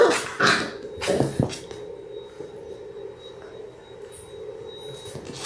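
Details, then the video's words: A litter of six Labrador Retriever puppies, six weeks old and born January 18, 2022, filmed on a live puppy cam on February 28, lets out two or three brief yipping cries early on, then quiet shuffling and a faint steady tone. "6 Adorable Labrador Puppies in their 6th Week!"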